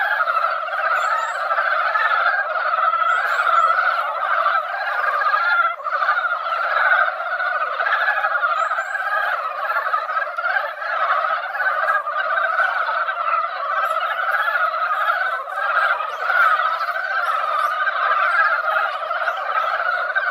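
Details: Mountain frogs filling a once-silent mountain-valley pond with song after light rain, an event heard each year only at this time. A continuous, seething mass of croaks, with occasional faint high-pitched chirps early on.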